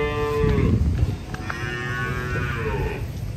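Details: Cattle coming down from a truck, with a clear, steady moo opening the moment, cut by thuds, then a longer bellowing moo that swells and slowly drops away over a low rumble.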